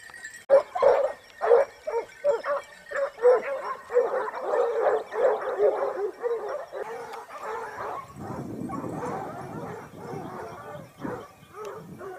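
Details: Topsfield Lebrera Basset Hounds running as a pack on a hunt in Spain, 2015-16, their second hunting season; bays ring out about twice a second in a steady chorus, with a low rumbling noise joining in the final seconds.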